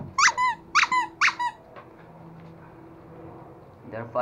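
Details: Toy Pomeranian puppies, one male and one female, play-fighting indoors in Kathmandu, Nepal; three sharp, high squeaky yelps about half a second apart, then quiet room noise and a final yelp.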